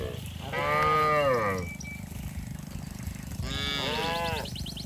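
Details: Village cattle on their way to the rice fields, calling one another: two wavering, harmonic moos about three seconds apart, set against a constant low droning background.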